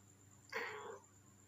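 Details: A neighbour's cat that came over to the person recording gives a single short meow, about half a second long, with a rough, slightly rising then falling tone, over a steady background hum and a high whine.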